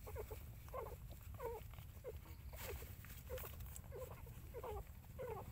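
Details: Mother dog looking after puppies, with thin wavering whines and squeaks repeated roughly every second in irregular clusters, set against constant low-pitched background noise.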